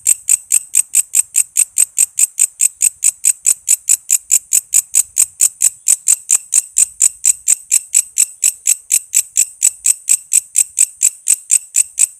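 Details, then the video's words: High, piercing ticks from a walang kece cicada, used as training sound for murai, lovebird, cucak ijo and kacer, pulsing steadily about twice each second throughout, clean background. "Suara walang kece gacor buat masteran murai,love bird,cucak ijo,kacer dan burung ocehan lainya."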